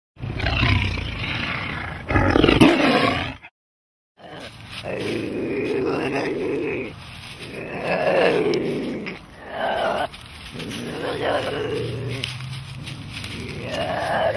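A big cat gives deep, rough roars and growls in repeated swelling bursts.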